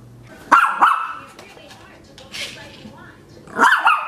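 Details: A Maltese puppy plays with a toy spider, letting out two quick high-pitched yaps, a pause with soft rustling and a faint voice, then another short double yap.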